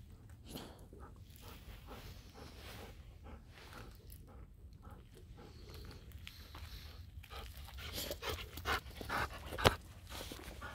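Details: Golden Retriever named Kohaku out on an evening walk near a field once the rain has stopped, panting in quick breathy bursts about twice a second over soft footsteps, with a few louder huffs toward the end.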